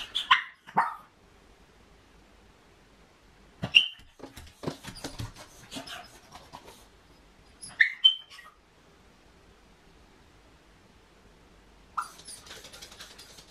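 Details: Home-alone female Miniature Pinscher with separation anxiety gives scattered single high barks and yips between longer quiet spells, with knocking and shuffling noises in a small room.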